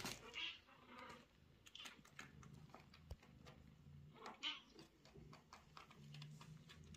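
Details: Chatty mother cat meowing to her kitten and owner in a small room: two clear drawn-out meows, one near the start and one about four seconds later, with soft rustles and a low hum between them.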